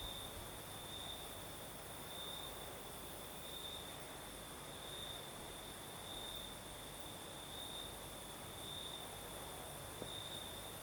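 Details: Crickets chirping through a southern Crimean night as a breeze blows; an unbroken thin high trill with gently recurring louder stretches every couple of seconds above a steady wash of wind noise.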